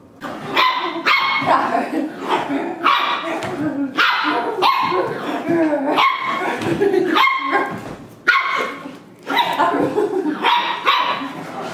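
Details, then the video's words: Corgi puppy play-attacking: a steady run of sharp, high yapping barks and growly yips, packed closely together with brief gaps, bright harmonics stacked above, human voices faintly mixed in. "CORGI PUPPY ATTACK"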